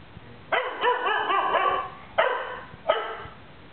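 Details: Domestic dog reacting to a sound played from a clip, giving a drawn-out whining bark with wavering pitch followed by two short, sharp barks.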